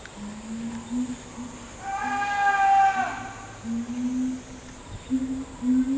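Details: Chimpanzee from a family troop led by the male Ryu, with old male Charlie, young male Riki and twin girls. Low hooted notes repeat, then a louder, harmonic-rich rising call swells mid-clip before the hoots resume.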